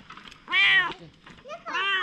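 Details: Stray domestic cat, wary at first, later friendly and affectionate, gives two clear, tonal meows, the first rising then falling, the second slightly shorter, with soft background noise between them.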